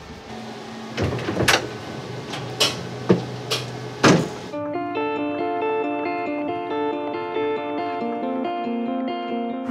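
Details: A few knocks and sharp clattering hits, then a plucked guitar melody plays steadily to the end.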